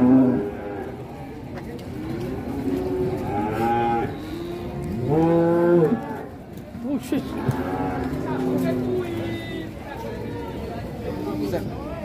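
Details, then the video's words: Cattle in Indonesia, out of control and rampaging while ploughing, give several drawn-out lowing moos with wavering pitch. The loudest comes near the middle, with fainter calls before and after and a faint human voice in the background. "SAPI KORBAN RONDO SANGEK MBAJAK NGAMUK RAK ATURAN‼️"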